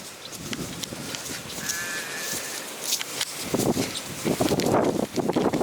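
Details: Sheep (Ovis aries) in Scotland bleat in wavering, nasal bursts against strong, gusty wind on a windy day, wanting their food during a daily check.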